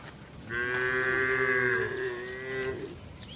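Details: During the rainy season, cattle moving slowly on a wet road toward their barn; one steady, drawn-out, richly harmonic moo holds for about two seconds, while small birds chirp faintly overhead.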